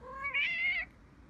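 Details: Tabby cat giving one short meow, under a second long: a lower opening note that jumps to a brighter, higher, slightly wavering tone, then stops abruptly, leaving a quiet indoor background.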